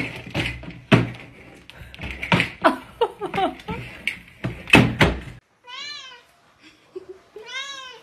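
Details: Pet cat's two clear, arching meows at the end, following a stretch of clattering knocks and bumps.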